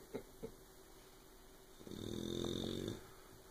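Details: Asleep indoors, the puppy Oberon gives two quick soft snuffles, then a long, raspy, low snore of about a second. The snoring is loud enough to stop Tyson from sleeping.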